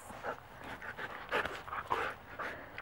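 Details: Wolfdogs during a playfight that Mango, a 12-year-old Great Pyrenees mix, interrupts: quick breathy panting mixed with brief throaty growls, several bursts in under three seconds.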